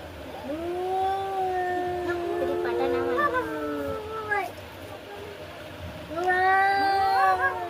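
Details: Cats in a fight trade long, wavering caterwauls, overlapping moans that bend up and down over several seconds, then a fresh rising yowl near the end; a person speaks softly in the background.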